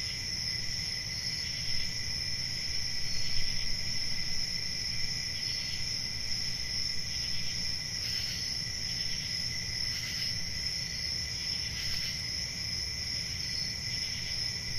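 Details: Crickets calling at night in summer woodland: a continuous high, buzzy trill in stacked tones, with occasional louder pulses around eight, ten and twelve seconds, over steady low rumble.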